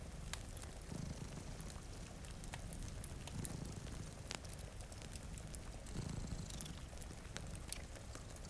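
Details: Sleeping pet cats by a rain-streaked window giving a soft, low purr that rises in three slow surges, partly masked by popping fireplace crackles and constant rain noise.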